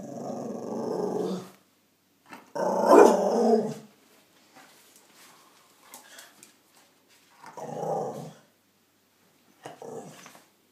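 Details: Scottish Terrier 'talking' to say hello: several bursts of growly, moaning vocal sounds, one louder howl-like phrase mid-clip, separated by quiet pauses and small clicks, indoors.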